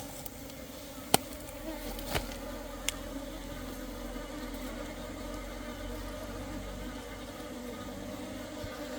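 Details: Asian honey bees of differing sizes flying into an apiary on 17 September 2023; a steady, even droning hum with a low tone and a higher overtone, broken by a few sharp clicks.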